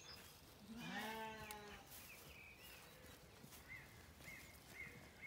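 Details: Zwartbles lambs in County Kilkenny, Ireland, calling for their mothers one morning on rain-greened pasture; a single wavering bleat near the start, then quieter background with scattered bird chirps.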